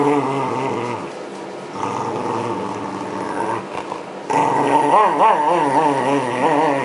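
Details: ['During a 2012 brushing session to clear shed winter fur, Yamato the Shiba Inu gives a low, steady grumble that swells into a louder, quavering growl in the last few seconds.']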